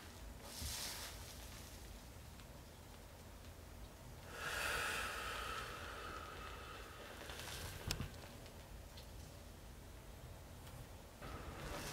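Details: Quiet indoor room tone with soft rustling, shuffling bursts and one sharp click, with no animal voice heard.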